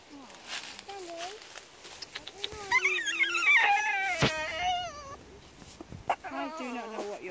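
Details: A female French Bulldog lets out wavering, high-pitched screaming howls at cows met on a walk while a woman talks to her; the owner suspects she is jealous of the cows.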